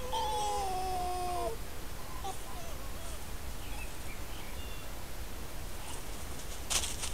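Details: One of two red foxes (Vulpes vulpes) interacting near their dens, caught by a camera trap in the countryside of Corte Franca, gives a drawn-out, whining, tonal cry that slides downward, over a low outdoor rumble.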